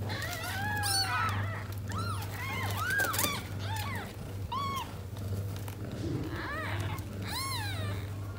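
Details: Mother cat Tota, raised indoors after being born to a stray, struggles to settle with her six kittens; a busy stream of thin arched kitten mews from several callers over a constant low electrical hum, with some rustling.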